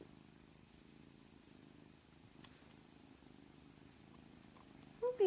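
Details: Domestic cat purring steadily in low, even pulses, then a single short, bright chirp rising and falling right at the end; quiet room otherwise.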